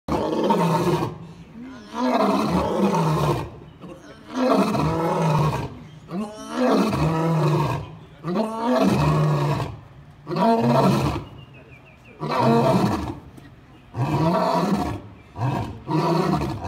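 A lion gives a bout of deep, throaty roars, each a harsh, rumbling burst. The bursts repeat roughly every two seconds with brief pauses between them.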